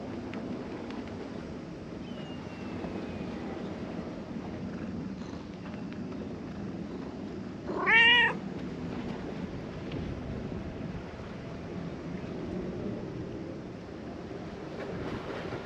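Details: A cat on Japan's cat island, stretching upward while being stroked on the head, gives one short, bright meow in the middle of a steady low background hum.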